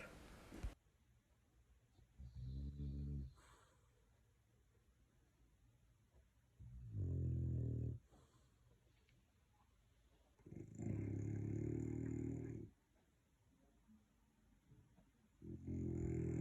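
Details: Pit Bull, French Bulldog and English Staffbull dogs snoring loudly: deep, rumbling, low snores in long bursts roughly every four seconds, separated by quiet breathing gaps.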